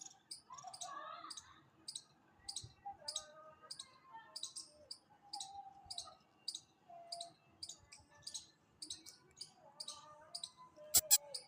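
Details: Chipmunk. A chipmunk repeats a high, sharp chip at a quick, even pace throughout. Softer, lower warbling sounds drift underneath, likely birds or distant voices.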